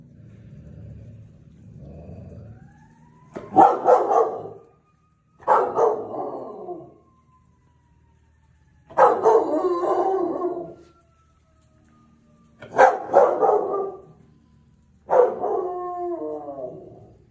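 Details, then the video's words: Belgian Malinois howling at a siren: harsh barking bursts of one to two seconds repeat about every three seconds over a faint wailing siren tone. The final burst turns into a drawn-out tonal howl with clear stacked harmonics. "Belgian Malinois siren crazy"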